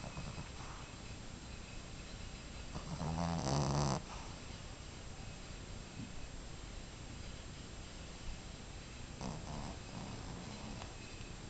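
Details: Five-month-old Boston Terrier snoring during a nap indoors: a steady, low rumbling snore in fast, fairly regular breaths, with one louder, harsher snorting burst about three seconds in.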